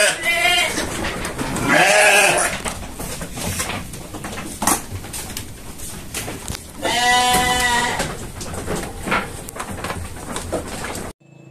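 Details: Indonesian sheep on a farm bleat in loud, wavering, nasal calls, with low farmyard noise behind.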